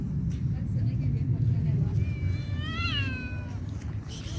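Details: A kitten quarrelling with other cats after being fed gives one drawn-out, high, harmonic meow-like scream that rises and then falls, over a steady low rumble of background noise.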